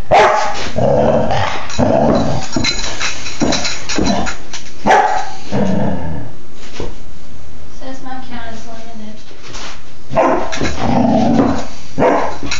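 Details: Baja, a playful female Doberman puppy of four and a half months, February 2011: bursts of gruff barking and a growl-like rasp fill the first half, then a person talks briefly before the barks return.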